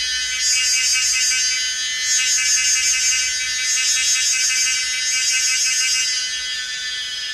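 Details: A Pomponia linearis cicada at Yangmingshan, Taiwan, gives a dense, high, hissing buzz that swells and fades in slow waves every second or two, with no other sounds.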